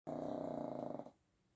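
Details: A pug sleeping indoors while its owner is away, snoring all night, gives a low, rattling, rapidly pulsing snore lasting about a second; finding: pug.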